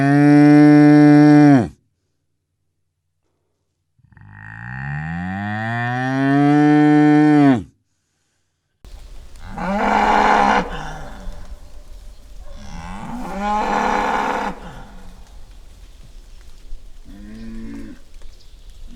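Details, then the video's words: Angry bull recorded in the wild: a loud, rich moo, a pause, then a long bellow that rises and holds before cutting off. After silence come several harsher, rougher bellows spaced a few seconds apart. "Angry bull sound"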